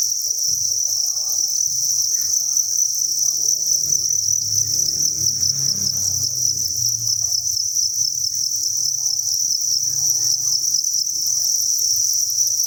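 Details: Thousands of captive crickets in a breeding facility chirp in a continuous shrill, pulsing chorus, with a low rumbling noise swelling in the middle and faint scattered sounds below.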